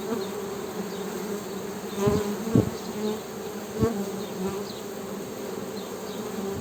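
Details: Western honey bees giving a steady buzzing drone, interrupted around the middle by several dull thumps or taps roughly half a second apart, after which the even hum continues.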